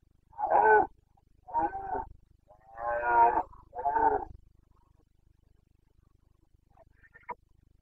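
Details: Boncănit, the rutting roar of a Carpathian red deer stag in Bucovina, Romania, September 2022: four rasping bellows in quick succession, then quiet with a faint distant click.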